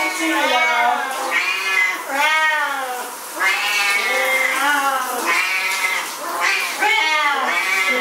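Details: Siamese cats, a pair of pets, caterwauling at shower time; long rising-and-falling yowls come in quick succession, each about a second long, loud and insistent.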